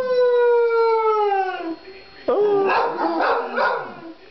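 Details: Murphy and Henry, two pet dogs, howl together; a long clear howl slides slowly downward, breaks off, then rougher overlapping yowls and noisy voices follow.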